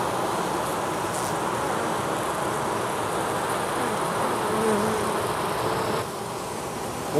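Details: Male drone honey bees clustered in an oak tree in Tampa, Florida, their colony getting ready to send off a swarm with a new queen; continuous low buzzing hum, slightly louder midway, with faint tonal whines, camcorder recording.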